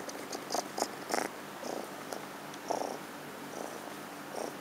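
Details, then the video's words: Rescued kitten Orion purring for the camera while awaiting adoption; short rumbling bursts come unevenly, a few louder ones early on, with light high clicks between them. "Orion, rescued kitten for adoption, purring in front of camera"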